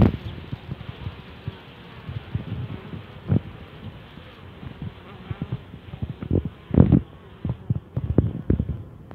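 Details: A newly made swarm of western honey bees fills the air with a low, steady droning hum, broken by soft thumps.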